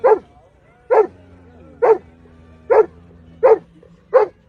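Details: Domestic dog in a humorous home moment, barking six times in a steady series, roughly one short punchy bark every 0.8 seconds, over a soft low steady hum.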